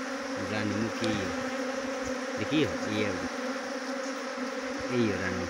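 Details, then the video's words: Honey bee swarm being trapped near Chakrata, Jaunsar Bawar, Dehradun, Uttarakhand: a steady low droning hum with a higher overtone runs throughout, while people talk over it in short bursts. "Best Honey Bee Swarm Trapping"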